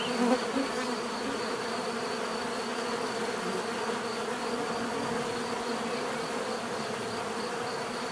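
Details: Natural buzzing of bees: a continuous layered drone from many insects, even in loudness throughout, a slight rise at the very start as one passes near, and a thin pulsing whine high above.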